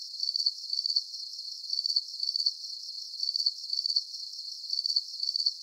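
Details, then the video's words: Crickets give a relaxing nighttime chirp: sharp, high pulsed bursts arriving in rhythmic clusters of two or three, then a short lull, over a faint steady hiss, with no other animals or voices. "Calming Cricket Sounds"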